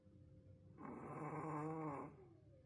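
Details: Wolf sable Pomeranian Roku sleeping, likely tired, giving his loudest snore yet indoors: one long, buzzy, harmonic rasp lasting just over a second, rising then easing, over a low room hum.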